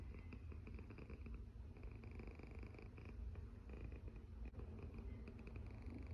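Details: Sleeping domestic cat snoring steadily, a low rumbling breath sound filling the whole stretch with soft rhythmic pulses and faint higher wheezy overtones.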